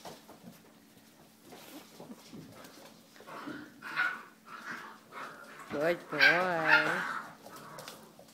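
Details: Male liver and white English Springer Spaniel indoors, after spoken commands to sit, gives a short wavering, yodel-like whine that rises and falls twice near the end, with a man's voice talking before it.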